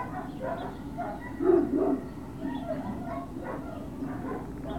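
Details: Great Dane puppies at Puppy Hill on 21 March 2019, late morning: a string of short, tonal yips and whiny barks, with one louder, rougher bark-like burst partway through, over a steady low hum.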